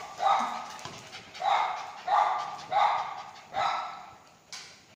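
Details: Playing Lhasa Apso gives five loud, sharp yappy barks spaced roughly every second, each with a quick onset and short fade, followed by a brief click-like sound at the end.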